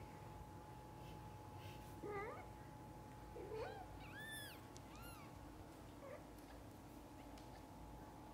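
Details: Mother cat with her kittens, indoors: several high, arched meows in quick succession, some with rising-falling harmonic sweeps, over a steady low hum and a constant faint tone.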